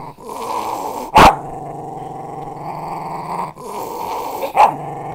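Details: West Highland White Terrier growling protectively, a steady low rumbling growl throughout with two sharp louder bursts near one and four and a half seconds.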